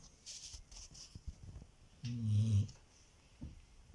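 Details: A sleeping Siberian Husky snores: one low, rough rumbling breath of about half a second near the middle, with fainter soft breathing sounds before and after in an otherwise quiet setting.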